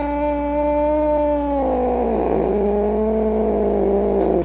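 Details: Grumpy domestic cat producing a steady, drawn-out tonal yowl that breaks after about a second and a half into a rougher, wavering, lower snarling moan before cutting off; constant low hum beneath.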